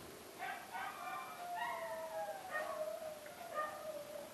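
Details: Dogs give drawn-out, tonal whining howls that slide downward, overlapping with short higher yelps through the clip, against a steady faint hiss.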